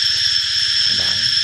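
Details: Cicada spraying a fine shower of liquid as it calls, giving a steady shrill buzz without pauses or changes in pitch, and a low male voice talking softly in the background.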